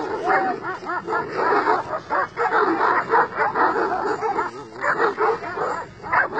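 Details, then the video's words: Kangals and other shepherd dogs from two sheep flocks face off and challenge each other, parting without a fight; dense, loud, overlapping barks from several dogs run continuously throughout. "Köpek sürüsü Kangallar ve çoban köpekleri karşı karşıya"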